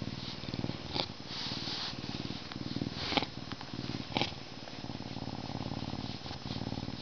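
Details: Humanized captive male Canada lynx, born at a zoo in May 2011, purring while getting scratched ahead of his meal; continuous low buzzing pulse with occasional sharp rubbing and scratching sounds.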